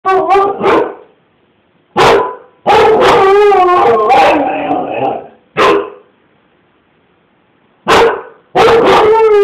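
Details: Siberian Husky barking at a man chasing his child down the street: loud, harsh barks in irregular bursts with drawn-out, wavering howl-like yelps between them, separated by short silences.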